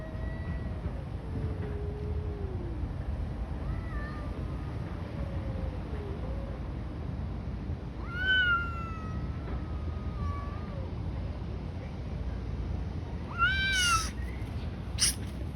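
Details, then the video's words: Street cats fighting outdoors: long, wavering drawn-out yowls, some sliding downward, with sharper rising-falling wails around eight and fourteen seconds over steady low traffic-like rumble. "Cats fighting on the street making strange noises. Cats Fight"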